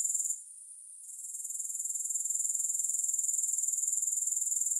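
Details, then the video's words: Grasshopper stridulation: a brief dip to a soft hiss at the start, then the shrill pulsed buzz builds back and continues evenly, beating about four times a second, with no background music. "Grass Hopper Sounds"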